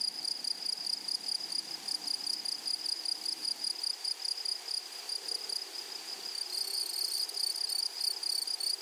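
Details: A flowery prairie meadow full of grasshoppers gives a steady, high, fast-pulsed trill. Near the end a second, even higher-pitched chirping joins in, adding denser pulses over the main chorus.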